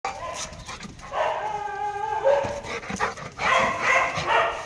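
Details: Pet Labrador and street dogs barking: irregular harmonic barks and drawn-out whining yelps overlap, with a sustained tonal stretch in the middle and a busier cluster of calls toward the end.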